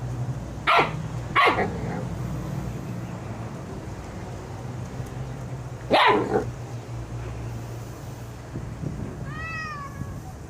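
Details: A Husky puppy gives sharp, hoarse yips while playing with a Bengal cat, its best friend, which answers with a brief rising-and-falling meow.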